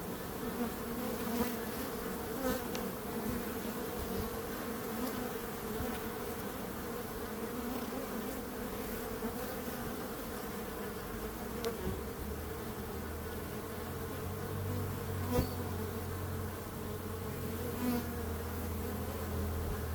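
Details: Steady swarm of buzzing bees, a constant layered drone; a deeper low hum joins underneath in the second half.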